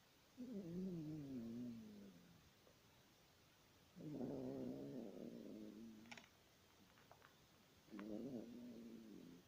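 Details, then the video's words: Yorkshire Terrier snoring: three drawn-out, harmonic nasal breaths of about two seconds each with pauses between, plus a few faint clicks in the gaps. "Йоркширский терьер храпит."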